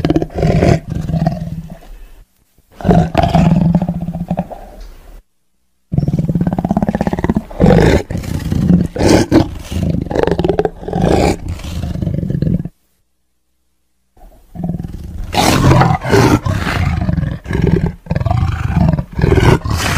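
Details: Tiger giving repeated rough roars and growls, low and throaty, in three bouts separated by two silent breaks.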